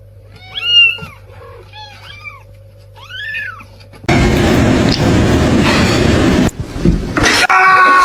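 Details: Cat. A kitten gives several high, thin meows, each rising and falling in a short arch. After a few seconds the calls give way to a loud burst of broadband noise and music.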